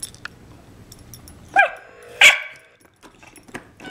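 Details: Pet Cairn Terrier Scamp barking at a baby toy car while being told not to bite; two short sharp barks over a quiet room with faint rustling.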